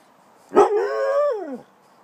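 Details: Spike, a pet dog, asking for his dinner; a drawn-out tonal howl of over a second, starting with a sharp onset, holding steady, then sliding downward at the end, in a quiet room with a person asking what he wants.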